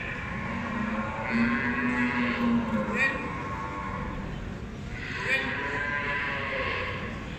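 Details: Beefmaster cattle at the Expo Guadalupe 2019 show during the judging of females: a low, drawn-out harmonic moo lasting about two seconds, then another rising lowing call, over steady crowd chatter and hall noise.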